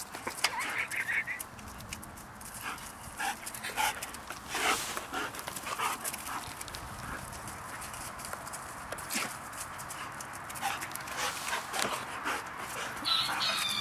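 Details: Two Giant Schnauzers, the young female Ice and the male Haanz, playing together on Christmas Eve 2011; brief high whiny tones near the start, then scattered sharp scuffling bursts and short noisy yelps throughout, fairly quiet overall.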